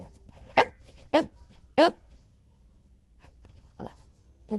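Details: Golden Retriever indoors giving three sharp barks about half a second apart, then a pause and two softer, lower barks.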